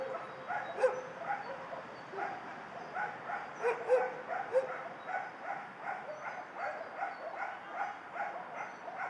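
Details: Shelter dogs bark in a busy, overlapping chorus. Sharp individual barks punctuate a steady murmur of more distant yapping, with no clear rhythm.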